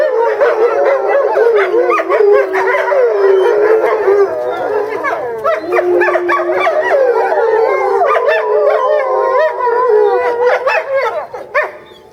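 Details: Eastern timber wolf family howling together at a zoo in Japan in February, one female kept apart in a small yard during breeding season; overlapping wavering howls with yips and warbling voices, many animals calling at once throughout.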